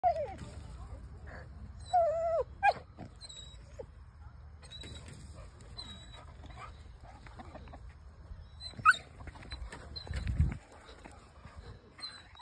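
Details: Black English Cocker Spaniel meeting chickens for the first time and trying to play with them; brief high whining whimpers and yips near the start and around nine seconds, with rustling and low background rumble between.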